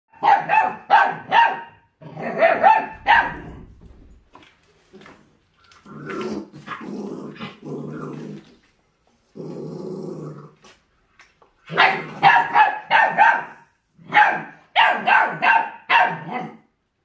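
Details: Forty-day-old feral-type mixed-breed puppy fixated on raw food, showing hunting instinct; short sharp yapping barks in quick bursts alternate with lower rasping growls, several barks per second at the start and end with quieter growling between.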